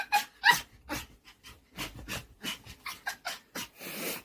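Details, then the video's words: Ggomong, a pet dog impatient for treats, giving an odd insistent noise: a rapid, uneven run of short squeaky whimpers and huffing breaths, several each second, ending in a breathy rush. "간식 빨리 달라고 이상한 소리내는 강아지"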